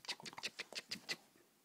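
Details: A Vizsla puppy at play gives a quick run of thin, high squeaky yips.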